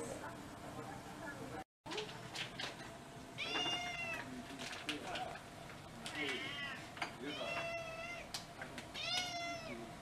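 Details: Household cats, part of a group of six mixed-breed pets, at a special dinner for Cat Day in February 2023: around five clear, arching meows with rich overtones, spaced through the recording, over human talk and small household noises.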